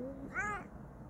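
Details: Bengal cat Kokoa gives one brief, bright meow right after a snatch of human voice, the call arching up and down quickly against a quiet room background.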